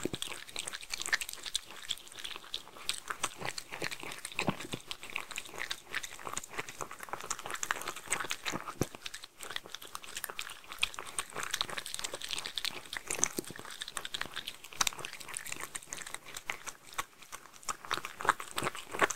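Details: Sheltie named Mindy chewing homemade food, a steady run of sharp crunches and smacking bites packed closely together, loudness rising and falling evenly with no other sounds standing out.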